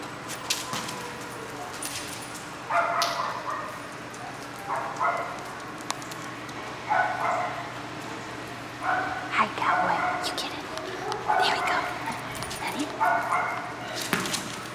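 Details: Australian Cattle Dog, an even-tempered male at a shelter awaiting adoption; short sharp barks in loose bursts, several per few seconds, with a person talking and encouraging him during play.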